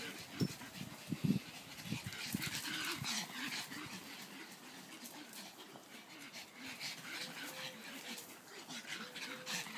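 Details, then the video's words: Leah, Sonny and Taffy, three dogs romping in a garden, give a few sharp rough growl bursts early on, followed by quieter panting and scuffling with soft low repeated tones. "Dogs in the garden"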